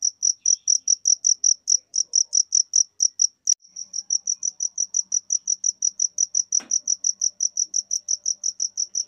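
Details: High shrill cricket chirps in a fast regular train, briefly interrupted by a sharp click, then resuming slightly softer; another short click later, otherwise quiet surroundings.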